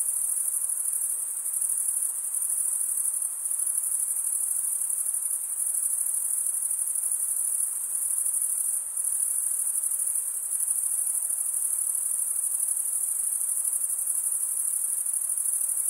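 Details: Many crickets chirp together, the males scraping wing against toothed wing vein, giving a sustained piercing high trill that barely varies across the stretch, with a couple of brief dips and no other sounds.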